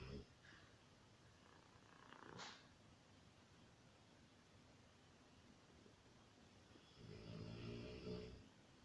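A Rottweiler snores softly, a low, rough, buzzing rumble drawn out over about a second.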